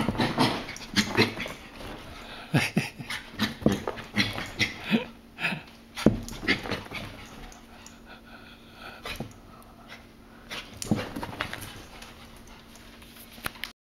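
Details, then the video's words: Havanese puppy wanting to play indoors: rapid rhythmic panting and snuffling bursts with scuffling noises, a few short pauses between bouts. "Rocky Wants to play"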